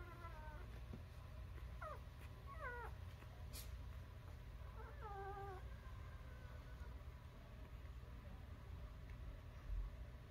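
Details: Newborn puppies giving soft, high, wavering squeals in short bursts near two and three seconds and again around five seconds, over a steady low hum and quiet background.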